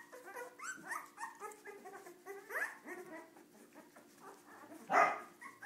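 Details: Cardigan Welsh Corgi puppies, several of them, misbehaving indoors; high, squeaky yips and short barks overlap in quick bursts, ending in one loud, sharp bark near the end, with a steady low hum in the background.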